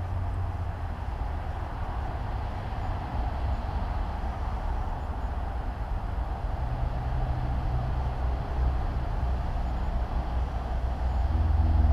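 Low rumbling vehicle or tram noise throughout, growing louder toward the end, with no animal sound heard.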